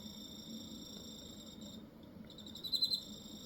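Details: Cricket singing in Hokkaido: a steady high ringing trill with overtones runs on, breaks briefly near the middle, then resumes with a few louder pulsing chirps before settling back into the even tone.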